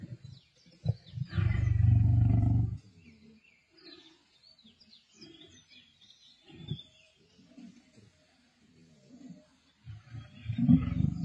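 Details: Male lions feeding on a kill alongside a pride in Sabi Sands, 31 March 2024: one loud, deep, rumbling growl lasting about two seconds, then quieter intermittent grunts and feeding noises, and a second low growl starting at the end.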